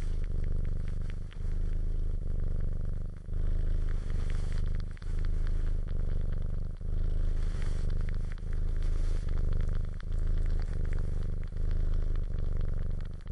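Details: Domestic cat purring while suckling: a steady, deep rumbling purr that swells and dips with each breath, roughly every one and a half to two seconds, with faint crackling and smacking suckling noises on top.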